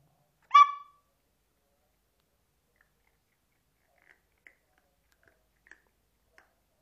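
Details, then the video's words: Max, a Chihuahua being trained, gives a quiet bark on command: one short, sharp, high bark near the start, followed by several faint soft clicks in an otherwise silent room. "Perro ladra quedito cuando se lo piden"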